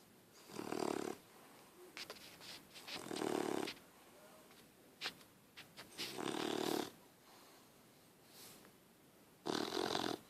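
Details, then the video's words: Puppy asleep on a person, snoring in regular breathy, rasping bursts roughly every three seconds, with small snuffles and soft clicks between breaths in a quiet room. "Puppy snoring"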